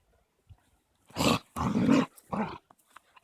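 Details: Caucasian Shepherds Amy, three months old and female, and Balu, a 21-month-old male, wrestling in play on 13.02.16: three harsh, breathy snarling growls in quick succession, the middle one longest.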